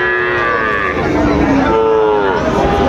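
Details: Sahiwal bull calf at Raniganj cattle market, Dinajpur, on 6 June 2024: a clear, bending moo that dips and rises, with a second rising low bellow, against continuous crowd noise.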